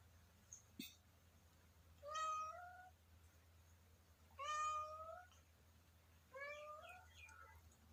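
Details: Hungry kitten meowing three times, each cry rising then holding a clear tone for under a second, spaced about two seconds apart, with a steady low hum underneath and a brief click before the first call.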